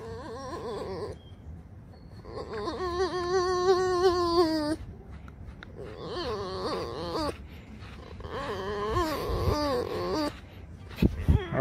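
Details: Tame pet fox kept at home, complaining while being stroked: repeated bursts of high, nasal, wavering whines and moans, several seconds each with short breaks, loud and close, with a person's voice and music nearby.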